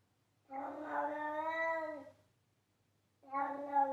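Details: A loudly meowing house cat named Charlie gives one sustained, even-pitched cry of about one and a half seconds, then a brief silence before another drawn-out meow starts. The background is quiet.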